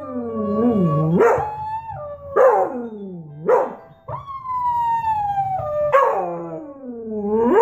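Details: A beagle howls while watching videos of other beagles howling: a run of mournful howls, each starting with a sharp upward yelp and easing into a long, sliding, harmonic note, with a faint low hum underneath.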